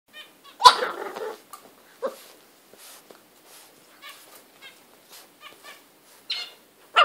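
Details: Butters, a pet English bulldog, attacking his bed: a short burst of rough harmonic growling and yelping around the first second, then scattered soft grunts and snuffles with quiet gaps.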